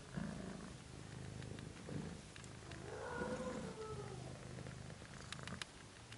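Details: Abyssinian kittens of a second litter nursing with their mother, a continuous deep purr running under a short squeaky mew and a few light clicks and rustles.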